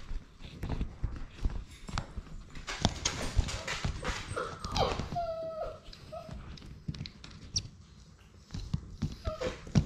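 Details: Six-week-old Labrador Retriever puppies, a litter of six, playing together indoors in their romper room; brief high whining yips with harmonic overtones sound near the middle, set against constant scuffling, thumps and clatter of romping pups.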